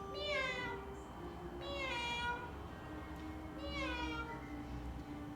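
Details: Domestic cat arriving and meowing, shown to children: three clear, harmonic meows, each bending up then falling, spaced roughly two seconds apart, over faint background music and a steady low hum.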